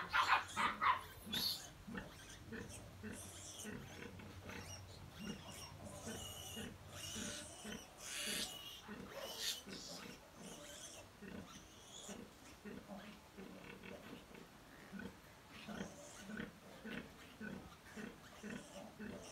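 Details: A sow nursing her fourteen piglets gives steady, low rhythmic grunts, nearly two per second, while the piglets jostle to feed. Sharp squeals open the recording, and scattered higher squeaks recur throughout.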